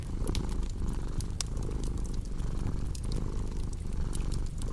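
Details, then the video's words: Brief stretch of a cat purring, a deep buzzing rumble with gentle breath pulses, overlaid by sharp fireplace pops. "Purring Cat with Cozy Crackling Fireplace Sound"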